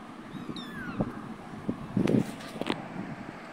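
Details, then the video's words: A cat gives one short, high mew that falls in pitch early on, followed by scattered thumps and clattering knocks. "Meow meow"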